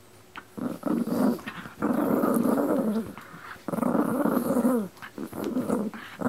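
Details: Pino and Choro, two dogs indoors, growling in long rough rumbling bursts of one to two seconds each, separated by short pauses, with some whining rises at the ends.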